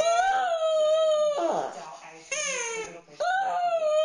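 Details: Fluffy the dog, playing with his stuffed animal, repeats drawn-out, wavering, tonal cries, three in a row, with rough breathy breaks between them indoors.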